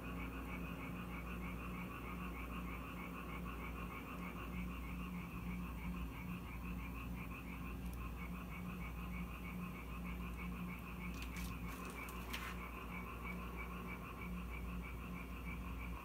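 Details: Frogs in Korea that came to a house when it rained: a steady chorus of fast, pulsed croaks repeating without pause, with a few brief clicks and knocks near the end.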